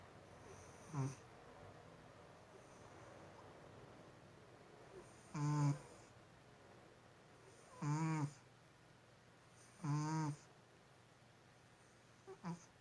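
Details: Domestic cat snoring indoors, each breath giving a short, low, rattling snore with buzzy overtones. Four strong bursts roughly every two to three seconds after an early softer one, then a faint final snort, over a quiet room hush.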